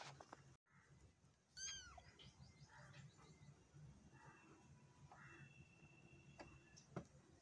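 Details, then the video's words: Meowing from a black kitten: a sharp click, then a bright, harmonic-rich meow that bends up and down, followed by several softer, shorter mews spaced over the next few seconds, with steady low room hum. "Cute Cat And Kitten | Black Kitten | Meowing | Kitten Sound"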